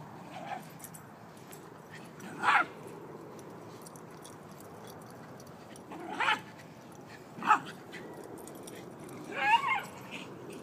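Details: Hades, a Boxer-Ridgeback mix dog, gives four short, sharp whimpering yelps spaced a few seconds apart, the last one a little wavering, over a quiet background hiss.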